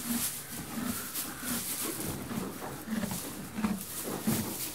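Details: Inside a stable, a horse eats hay with rhythmic, muffled grinding chews roughly every two-thirds of a second, over soft rustling and a hiss of straw.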